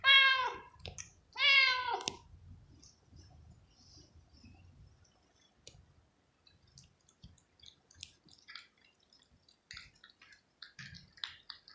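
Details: A cat eating at the table like a person and cleaning the dish gives two loud, drawn-out meows, the second rising then falling, followed by soft clicks and chewing noises.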